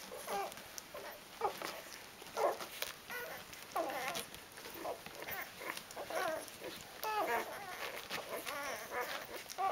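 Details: A litter of Rhodesian Ridgeback puppies aged four days gives many brief, thin, overlapping whimpers and squeaks in busy succession, with soft rustling and movement noises in the background.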